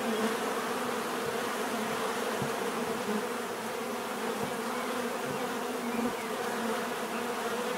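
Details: Unbroken droning of bees, many wings humming together in layered tones, with scattered soft taps and thumps under the constant buzz.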